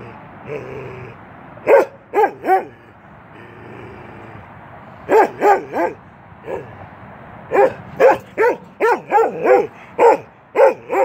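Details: Keweenaw, a 10-month-old male Norwegian Elkhound, playing through a fence: sharp barks, first in pairs and then in a rapid series of about a dozen, with brief whiny vocal sounds before the barking.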